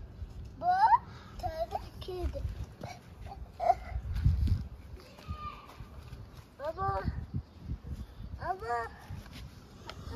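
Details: Orphaned hungry stray kittens in Istanbul asking for food: several high, arched meows rising then falling, some in quick pairs, scattered across the stretch, with human voices and outdoor background noise around them.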